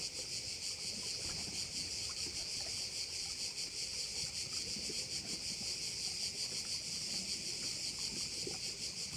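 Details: High, continuous insect buzzing from crickets at a Korčula bay, evenly pulsed and unbroken through the whole stretch, with only a faint low wash of wind or sea beneath it.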